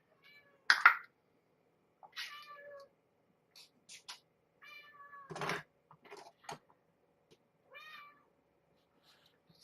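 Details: Mother cat with kittens at bedtime feeding, indoors; several short harmonic meows and chirps spaced through the clip, with a louder broadband rustle near the middle and quiet room hum.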